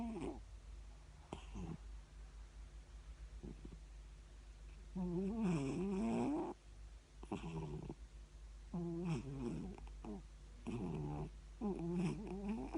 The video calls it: Siamese cat snore